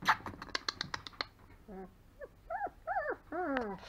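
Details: Almahnzo, a three-week-old longhaired German Shepherd puppy born 26 September 2020, gives a run of high, wavering whimpers and squeaks, several arching up then sliding down, after a quick burst of sharp clicking taps.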